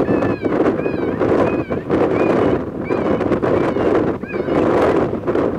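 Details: Coyote calls from January 23, 2020: a run of quick, high, slurred yips and brief quavering whines, rising and falling, spaced about half a second apart, set against loud rushing wind.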